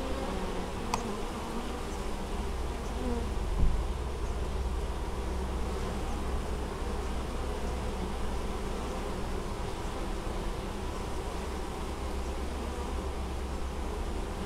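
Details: Honey bees working at an apiary in Moszczanka, Opole Voivodeship, Poland, on 19 August 2013, carrying honeydew; a steady, dense low hum of many wings fills the whole recording with one brief tap near the start.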